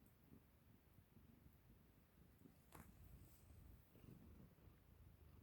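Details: Ragamuffin cat fighting with a hair tie indoors, giving a low, steady rumbling purr with soft pulsing throughout, broken by a sharp click near the middle and light rustling of play.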